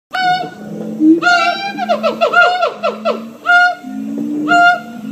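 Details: Captive siamang gibbons singing at Columbus Zoo: loud, harmonic-rich barking hoots, then a rapid run of rising-and-falling notes midway, with lower, softer rising hoots humming underneath throughout.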